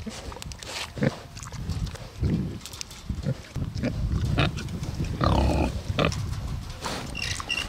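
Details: A pair of Bentheimer pigs out on a meadow in the Lower Rhine region, Germany, grunting in a way that does not sound happy; dense, rough, low grunts and snorts, with one longer squealing grunt near the middle.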